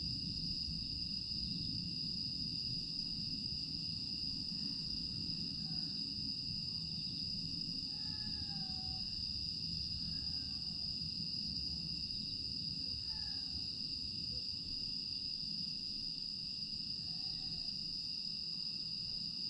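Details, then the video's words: Grass insects on a still night in Aewol, Jeju, 25 August 2022, producing a sustained high steady ringing with a second lower tone. Short faint chirping notes come and go at intervals over a quieter low rumble. "풀벌레 소리"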